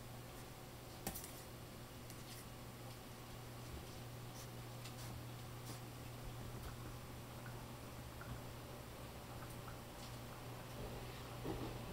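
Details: Quiet indoor room with a steady low hum and scattered faint ticks and clicks, with no animal voice heard.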